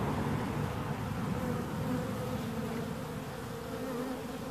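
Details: Bees buzzing loudly and steadily, a deep rumbling drone with a clear humming band above it, level throughout the short stretch.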